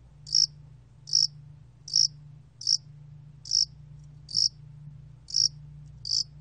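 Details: Korean yasan-allak cricket chirping, recorded in 2020 by the National Institute of Biological Resources: eight quick high chirps, a little under a second apart, each a short bright pulse over a low continuous hum.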